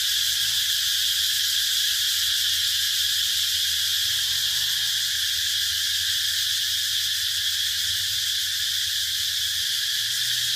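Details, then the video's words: Cicadas droning in a dense, unbroken high buzz that holds steady from start to finish, with a faint low hum underneath. "Cicada sound"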